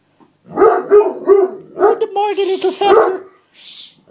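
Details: Male Otterhound–Spinone mix dog throwing a tantrum indoors because his seat was taken; a run of whiny, yowling barks in quick succession, overlapped by a man's speech.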